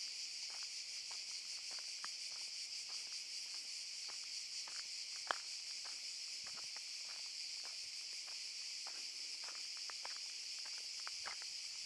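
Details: Cicadas in Park Šuma Musapstan, Zadar, Croatia, August 2014: a constant piercing high buzz with faint rhythmic pulsing, accompanied by frequent light footsteps or crunching clicks and one sharp snap.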